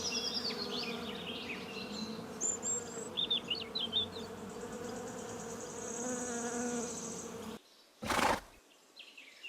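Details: Bee giving a steady, low droning buzz with a continuous hum and overtones, lasting over seven seconds. Short high chirps sound above it before it cuts off, then a brief noise burst.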